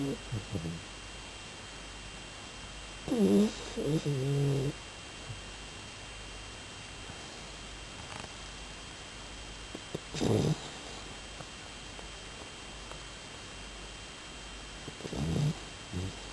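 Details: Shiba Inu asleep, giving short soft snores in brief paired bursts with a faintly tonal, rasping quality, spaced several seconds apart over a low steady background hiss.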